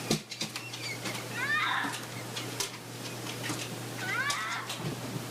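An unidentified wild mammal gives two wavering, harmonic, cat-like cries among scattered clicks and rustles.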